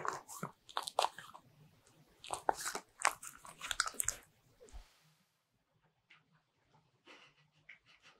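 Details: Butter-ring cookies crunched by a Bichon Frise dog in a small room, close ASMR sound; about five seconds of loud crisp biting and chewing, then near silence with faint scattered clicks.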